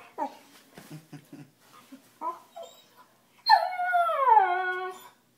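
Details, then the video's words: Dog crying because he thinks he is getting yelled at: soft short whimpers and sniffs, then a long drawn-out whining howl that slides downward over about two seconds. "Cute dog makes funny noise"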